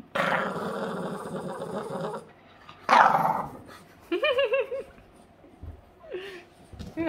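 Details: Yoda, a Boston Terrier, growling while playing: a long, rough, rumbling growl held for about two seconds, a short harsh burst, then a person speaking in a high, lilting voice with brief pauses.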